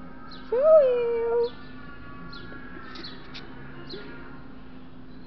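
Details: Siberian Husky that loves pão de queijo (cheese bread), giving one whine-like tonal call about a second long that rises and then holds level. Faint clicks follow over a steady low hum, with no further calls.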